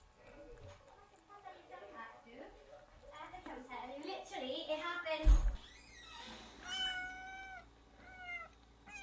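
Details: Newborn kittens crying while their mother is away: after people talking indoors, a run of high, thin, wavering mews rises over the voices, then several clear, piercing cries follow in quick succession.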